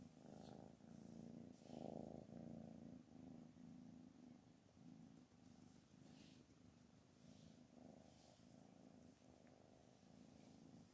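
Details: Purring from Anna, the mother cat said to be angry and rejecting her kittens, heard as a continuous low throbbing rumble with regular breathing pulses that grows softer toward the end.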